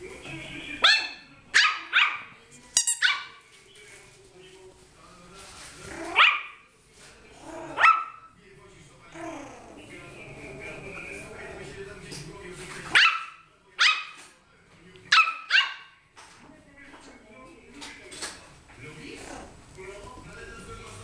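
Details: A two-month-old Yorkshire Terrier puppy, playing with a new toy ball and barking at it, gives sharp, high-pitched yappy barks in short bursts, with a person talking between them.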